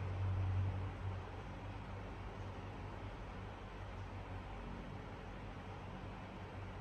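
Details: Steady low rumble and hiss like traffic or a fan runs throughout, with no animal voice.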